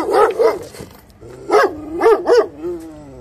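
A Kangal gives short, mid-pitched barks, two quick ones, a pause, then three more, the last trailing into a soft whine.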